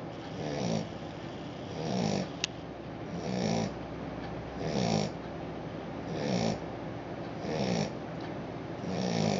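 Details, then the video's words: Australian Shepherd puppy sleeping and snoring: soft, raspy breaths recur about every one and a half seconds, each a low rumbling swell with a breathy hiss above, steady and regular throughout in a quiet indoor setting. "Adorable Snoring Puppy-Cute Aussie"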